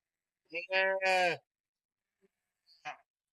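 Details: Ewes in a flock with no shepherd give loud, wavering bleats for a long time, calling after their milk-fed lambs, which are taken away separately because they cannot keep up with the flock.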